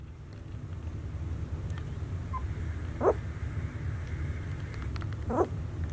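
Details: White Swiss Shepherd puppies, 19 days old, in a playpen; two short, thin rising whines about two seconds apart, one faint squeak before them, over a steady low hum.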